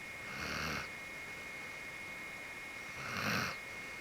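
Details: Sleeping white Akita dog, fully relaxed, snoring: two soft breathy snores about three seconds apart, hissy and airy rather than deep, over a steady electrical hum indoors.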